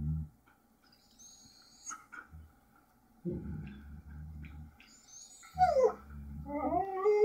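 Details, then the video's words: Two pet Siberian Huskies, Otus and Chinook, chatter to each other on a hidden camera. Quiet gaps and low grumbling moans lead into higher, wavering whines and howls that rise and fall in pitch, growing louder near the end. "Otus and Chinook - Siberian Huskies Conversing"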